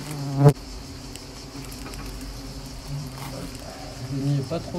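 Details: Asian hornets in a small attack at Nîmes; a steady low droning buzz with stacked harmonic tones holds throughout, broken by a sharp thump near the start and a louder swell toward the end.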